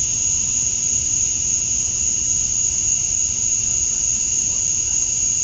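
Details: Summer dusk chorus of male cicadas in Georgia, USA, calling to attract females: one continuous shrill, even hum with no pauses or changes in pitch, over a soft low background rumble.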